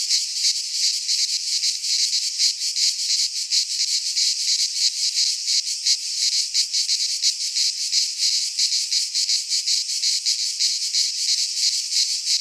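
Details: In a Greek pine forest during midsummer, many cicadas keep up a steady, sizzling high-pitched buzz, beating in fast regular throbs for the whole stretch, no birds or people heard.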